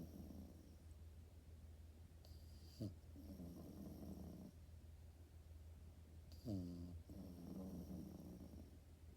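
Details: A French Bulldog puppy asleep, snoring in slow cycles: rattling, nasal snores every few seconds, each opening with a short snort, with a steady low electrical hum throughout.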